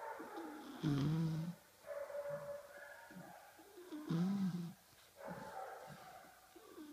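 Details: Sleeping bulldog puppy, five months old, napping indoors and snoring: two heavy, low rasping inhalations about three seconds apart, each followed by softer whistly nasal sounds, nothing else audible in the quiet room.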